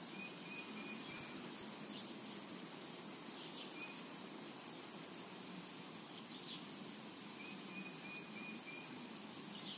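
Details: Summer meadow cicadas hold a continuous shrill, high buzz that swells and dips in short pulses, while short whistled bird notes come and go in the background.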